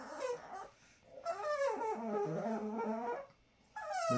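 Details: Talking Chihuahua Dixie gives a long wavering whine-moan that rises and falls in steps, followed by a short higher whimper.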